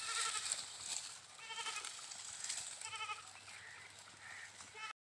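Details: Goats bleating in a farm setting, several short harmonic bleats spaced across a few seconds over a busy, hissy background with other noise.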